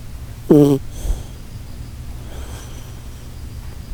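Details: Shiba Inu Koharu snoring in her sleep, likened to a Titanic setting sail: one brief, horn-like tonal snore with a buzzy, stacked tone, then a soft breath and a quiet room hum.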